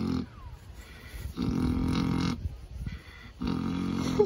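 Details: Sleepy pig being scratched, giving quieter low snores. Three soft, rumbling bursts, each about a second long, are separated by breathy pauses.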